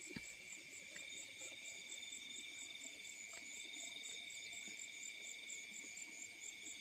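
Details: Several crickets trilling together at night in the fields, layered on a few steady high pitches with a rapid beating pulse on the highest one and occasional faint clicks.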